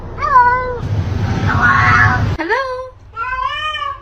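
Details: Pet cat meowing indoors: a rising-falling harmonic meow, a stretch of speech and noise, then a longer wavering meow, with a person saying hello nearby.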